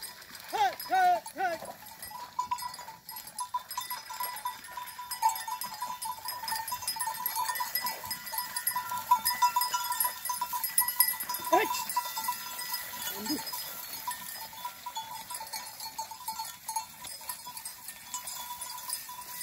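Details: Desi goats in Chhattisgarh, out free grazing and crossing a stream in the evening as they head home, bleat in a wavering cluster at the start, then give two more isolated calls over a constant ringing hum.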